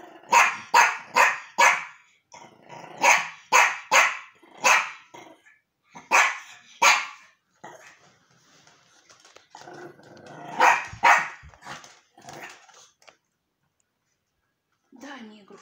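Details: Archie, a Yorkshire terrier, meeting a new toy: quick clusters of three to four shrill yaps, several rounds over the first seven seconds, then softer grumbling noises and a final short outburst near the end.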